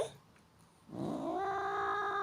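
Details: Pet cat, called naughty, vocalizing while its owner talks to it: a drawn-out, rising then level meow with rich harmonics lasting over a second, after a quiet start.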